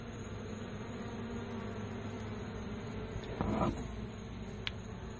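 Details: Honey bee swarm rescued from school grounds and transferred into a new hive, giving a continuous low buzzing drone throughout, with a short burst of handling clatter near the end and a faint click.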